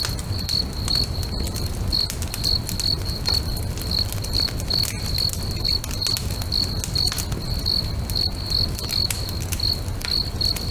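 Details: At a sunset lakeshore, crickets repeat short, high-pitched chirps at a steady fast pace while a bonfire crackles and pops loudly and a low, constant rumble fills the background.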